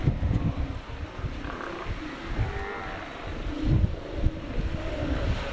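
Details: Bull Steller (northern) sea lions wrestling for mating rights near Florence on the Oregon coast give deep, rumbling roars and growls.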